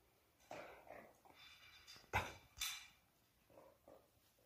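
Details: Black-and-tan and yellow Jindo puppies play-fighting indoors give short, scattered yips and growly barks in uneven bursts, with one sharp, louder bark at mid-clip followed by softer yelps.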